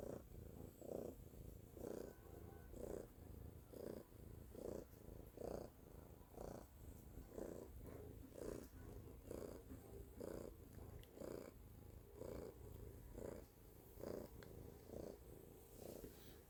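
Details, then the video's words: Loud purring from a pet cat: a steady low rumble rising and falling in regular breaths, roughly one swell per second throughout, with faint background hiss. "purring loudly / Cтелла громко мурлычет"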